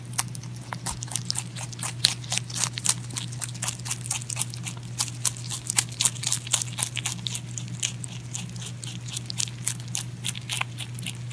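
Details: Pet rabbit eating, close up: rapid crisp crunching bites, about three to four per second, steady and continuous over a low constant indoor hum.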